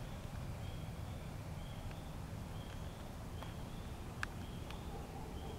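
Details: Spring peepers calling near a pond as a snapping turtle heads toward the water; short high peeps repeat from several frogs in the background over a steady low rumble of wind or handling noise, with a sharp click near the end.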